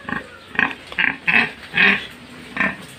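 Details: Pig, a short, low-bodied sow, giving six loud, harsh grunting squeals spaced about half a second apart, each a brief noisy burst with a clear tonal band, over a quiet background.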